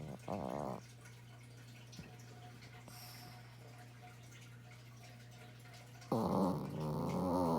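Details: A pet dog snoring indoors: a short rough snore at the start and another at the end, with a quiet pause between them over a steady low electrical hum.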